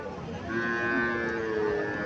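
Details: Cattle at Mirshanni, Cumilla, where a local cow and a Sahiwal bull calf are shown: one long, steady, tonal moo that swells in strength midway and holds to the end, over faint background noise.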